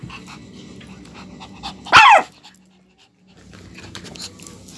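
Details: Two-month-old Shih Tzu puppies playing; a single sharp, shrill yelp bursts out near two seconds, sliding downward, amid soft scuffling and shuffling, followed by a near-silent pause.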